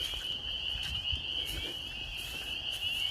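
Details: Spring peepers calling in spring in rural Maine: many frogs in a dense chorus of high, shrill peeps that merge into one steady, piercing band, with a faint low rumble underneath.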